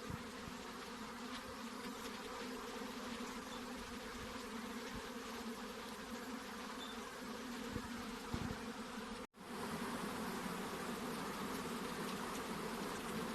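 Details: Honey bees swarm around hive boxes while a beekeeper looks for the queen. Their continuous droning hum has faint pulsing and scattered ticks, then cuts out for a moment before resuming at the same level.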